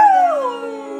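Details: An Aussiedoodle howls along to Adele's "Someone Like You", a smooth tone sliding slowly downward.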